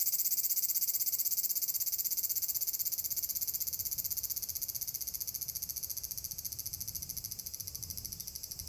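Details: Summer chorus of large brown cicadas at Furuta Magarikawa, Nishinoomote, Tanegashima, 30 July 2022: continuous shrill frying buzz with fast regular pulsing, gradually weakening, faint low rumble beneath.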